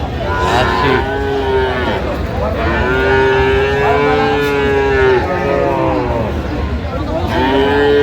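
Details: Cows and calves at Aftabganj cattle market in Dinajpur, Bangladesh, 17 January 2026: three drawn-out, steady-pitched moos, the middle one lasting nearly three seconds, over a constant hubbub of market chatter and background noise.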